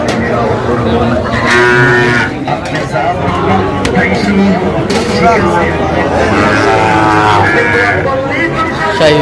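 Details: Sahiwal bull calves bought by a farmer in Chuadanga, Bangladesh, on 19 August 2025: two drawn-out harmonic moos, near 1.5 and 7.5 seconds, rise over a steady din of crowd chatter and voices.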